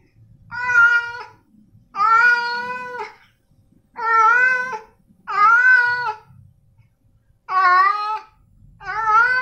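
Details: Male domestic cats indoors, six loud drawn-out meows, each about a second long, harmonic and slightly rising then falling, spaced one to two seconds apart, with faint low room noise between them.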